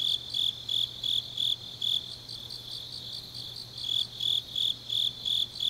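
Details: Grass insects on a deep autumn night in Changnyeong, Gyeongnam, South Korea: high, bright chirps pulsing in short bursts roughly three times a second, with a second fainter caller overlapping above and a low steady hum underneath.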